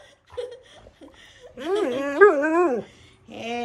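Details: Pet Siberian Husky named Wulf, indoors: after a person's brief words and soft whines, a long wavering howl-like cry bends up and down for over a second. A short whine follows.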